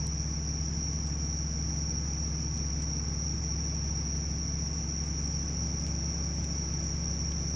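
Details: Summer chorus of bell crickets, a continuous shrill ringing tone that stays level for the whole stretch, with a constant deep rumbling background beneath it.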